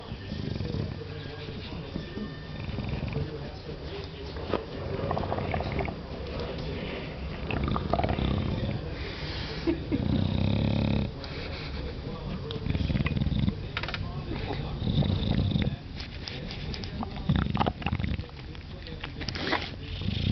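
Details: An English bulldog (Canis familiaris) makes low, rumbling, purr-like grunts and snorts of contentment while enjoying a scratch, with a person talking nearby in the morning.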